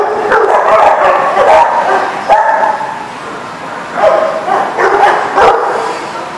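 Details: Many dogs barking together at a kennel lot, recorded 21 June 2019; dense, harsh overlapping barks and yips, swelling in rapid bursts of about three per second, with a brief lull midway.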